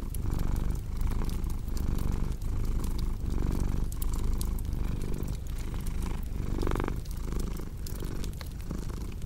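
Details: Purring cat, a strong low rumble rising and falling with each breath roughly every one and a half seconds, with a crackling fire popping softly in the background.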